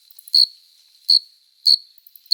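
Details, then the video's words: Male cricket stridulating on a summer night to court a female: sharp, shrill chirps on a single high pitch, repeated roughly every 0.65 seconds, with a thin steady ringing tone between them. "Som de GRILO cantando | CRI CRI CRI (Cricket Singing)"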